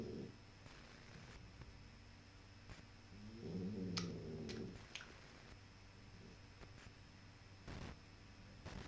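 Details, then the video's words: Snoring puppy producing one short, low, gravelly snore near the middle, a buzzy hum with stacked tones, surrounded by quiet stretches and a few sharp clicks and rustles. "Щенок храпит"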